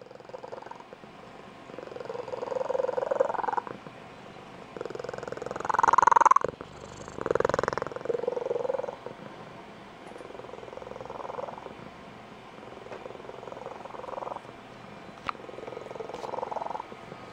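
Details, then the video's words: Adult female Blue Point Tonkinese cat giving her squeaky, high-pitched trilling purr, as she does each morning when getting her owner out of bed or when excited. Rhythmic purring swells in bursts, loudest midway, then fades in softer pulses indoors. "Tonkinese Cat Has a Super-Special Purr"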